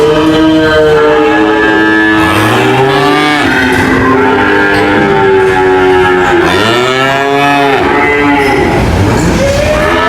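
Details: Deep cattle moos overlap one another, some bending upward then sliding down in long arcs around the third and seventh seconds, with a steady noisy backdrop throughout.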